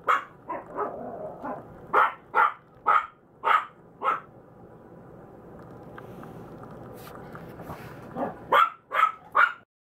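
A Maltese puppy gives short, high yips in quick bursts, then falls quiet before yapping again.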